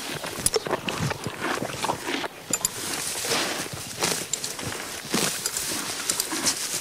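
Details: Grass being torn and chewed by a grazing horse, crisp crunchy bites coming in quick uneven bursts, a brief lull near the middle.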